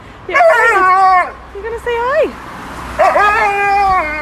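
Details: Talking Siberian Husky at home gives three expressive vocal phrases, each a wavering, yodel-like moan that bends up and down in pitch, separated by short pauses.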